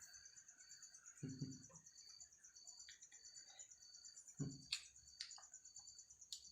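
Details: Bottle-trapped insect at home trying to escape, making a high, shrill trill broken into rapid pulses, with two dull low knocks and a few sharp clicks from movement against the bottle.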